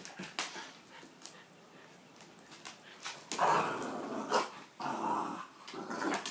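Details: Pet dogs at play, one bullying his little brother: rough, noisy growling bursts, strongest in the second half, broken up by short thumps and scuffling sounds.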